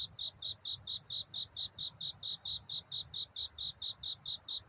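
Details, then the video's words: At night before daybreak, a cricket sings to find a mate: shrill, bell-like chirps pulse in a long, regular chain of well over a dozen, with faint low rumble underneath. "편안한 잠을 부르는 귀뚜라미 울음소리. 슬퍼 말아요 우는 것이 아니라 사랑을 찾는 노래랍니다 구애의 밤"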